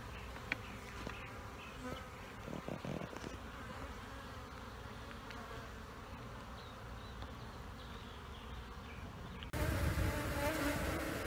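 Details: Bees from two honeybee colonies under a trailer in Panama City, removed the same day, humming in a steady low drone that swells abruptly louder near the end.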